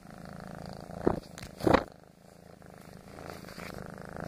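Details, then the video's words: Male foster kitten kneading and purring, a low buzzing rumble throughout, with two brief louder rustling bursts of movement near the middle. "Extreme foster kitten purring"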